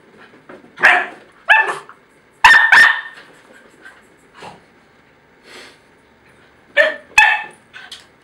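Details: A jackabee named Chloe, a Jack Russell cross Beagle, gets heated and very loud in a quarrel with her twin, giving loud, rough barks in clusters of two or three, spaced by pauses, with quieter grumbles between them indoors.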